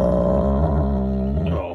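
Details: Wolfdog growling during playful mouthing, normal play and communication: a steady, low, rough rumble with strong layered tones, held evenly for nearly two seconds before fading out at the end.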